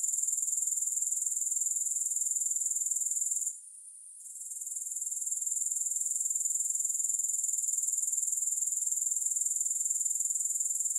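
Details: Continuous shrill insect trilling from grasshoppers, fast regular pulses at high pitch, with a short gap of near silence after three seconds, then the buzzing swells back to full strength.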